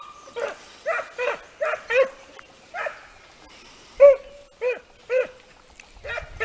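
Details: Italian Segugio hounds in hare training, a steady series of barks and bays spaced roughly half a second to a second apart, with short lulls, outdoors.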